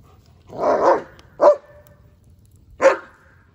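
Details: German Shepherd Odin, playing happily with his favorite log, gives a loud, drawn-out bark followed by two short, sharp barks about a second and a half apart, in an otherwise quiet setting.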